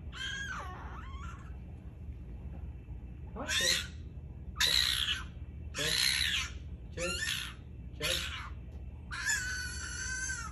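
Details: Pet fennec fox arguing with its owner: a wavering shrill cry opens, then five short harsh harmonic screams roughly a second apart, ending in a longer steady squeal, all over low indoor hum.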